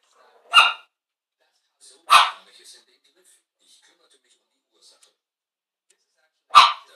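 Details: Chihuahua barking while watching TV indoors; three sharp, high, yappy single barks, the first two close together, then a long pause before the third, with near silence between them.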